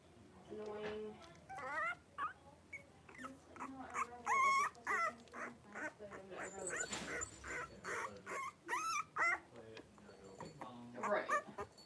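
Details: Blenheim Cavalier King Charles Spaniel puppies, three weeks old, wrestling together in their pen, make a busy stream of short whimpers, squeals and yips, some bending upward, with people talking softly at times.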